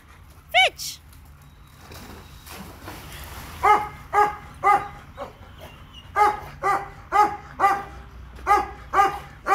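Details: Labrador Retriever named Leo on a visit to a dog park: a single sharp yelp early on, then a steady run of harmonic, mid-pitched barks at roughly two per second, with faint outdoor background noise.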